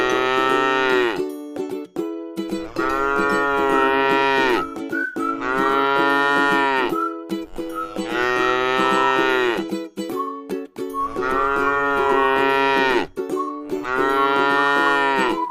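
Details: A docile cow rests in a scenic rice paddy. It repeats long, droning moos roughly every two seconds, each one sagging in pitch at the close. Sustained music tones and faint bell-like clinks run underneath.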